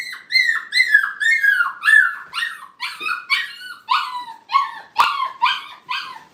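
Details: A playpen of five-week-old Brittany puppies, first time inside, at a kennel: steady, loud, closely repeated whining yips, each a short tone bending downward, about two a second.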